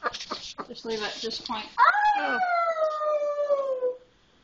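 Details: Young wolf pup Misun, one of four pups taken in in 2010, during his first howl: a person talks at the start, then a single long, clear cry begins high and slides slowly downward for about two seconds before fading.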